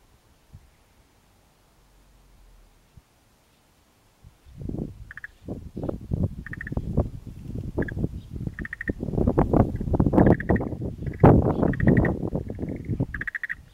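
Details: Unidentified frog calling near low-lying ground close to mountains in Japan, an unfamiliar voice, not a tree frog or wrinkled frog; a dense run of short low croaks repeated rapidly, with brief higher tonal notes above, starting after four seconds of quiet.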